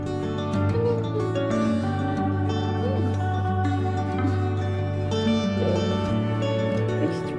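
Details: Plucked, harp-like music over a steady low drone, with no animal voice anywhere.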